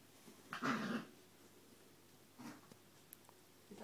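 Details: Female Rhodesian Ridgeback puppies indoors; a single short voiced whine with a growly edge lasts about half a second, followed by faint snuffles and small rustling sounds in a quiet room.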